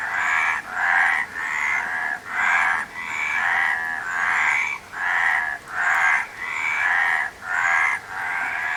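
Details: Frogs croaking in a steady chorus: rough, rattling croaks with a buzzy, nasal tone, repeated about once every second with short gaps between them. Each croak overlaps the next, and no other clear sounds are heard.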